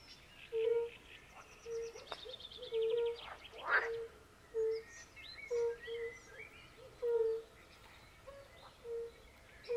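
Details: European fire-bellied toads calling by a forest pond, joined by pool frogs: short mellow 'oop' notes overlapping at an uneven rhythm, a brief rattling frog burst near the start, and distant birds chirping.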